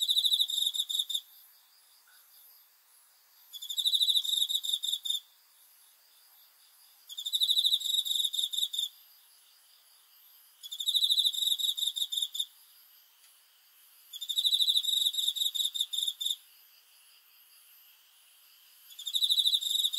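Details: Night-time cricket giving bright, high-pitched pulsed trills in six steady bursts. Each burst lasts about a second and a half and repeats roughly every three and a half seconds over a quiet background.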